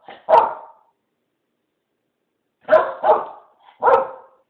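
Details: Blue, a female Keeshond kept indoors, barks excitedly when asked whether she wants to go outside. One sharp bark is followed by a pause, then a quick burst of three loud barks, with a person's voice heard around them.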